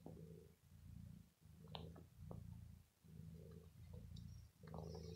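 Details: Pet cat Bella, who is ill, purrs as she bites a sweater after being pampered; soft low throbbing purr rising and falling with each breath, with light rustling and clicks.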